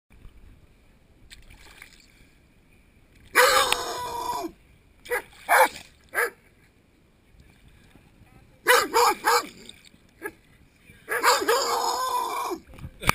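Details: Rottweilers at a swimming pool give loud, harsh barks in short bursts at people swimming and splashing, with water splashing between them.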